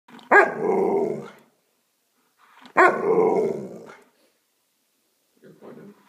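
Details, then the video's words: Alaskan Malamute yelling at its owner: two loud, drawn-out talking howls about a second each, harsh and wavering, followed by a brief quieter grumble. "Getting yelled at by an Alaskan Malamute."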